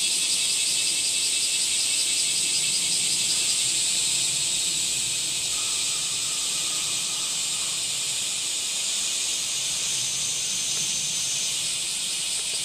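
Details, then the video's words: Dense, high cicada chorus humming without pause, slightly softer in the second half, with a faint thin tone briefly audible in the middle. "セミの抜け殻＆蝉の声 cast－off SEMI Cicada chirp"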